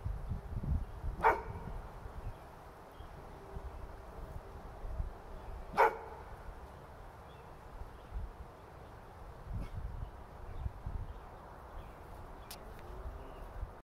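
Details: Domestic dog letting out sharp barks with no visible cause, two clear barks several seconds apart and a fainter one later, with low rumbling background noise throughout.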